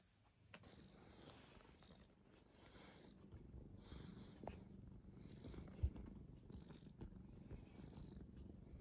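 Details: Quiet, gentle male brown tabby house cat, rescued as a kitten in late spring 2015, purring at home: a steady low rumble throughout, with faint soft rustling and a small click near the end.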